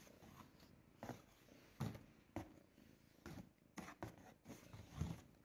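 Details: Loud low purring from a ginger house cat enjoying being brushed inside a box; a continuous rumble persists beneath repeated sharp brushing strokes and rustling about every half second.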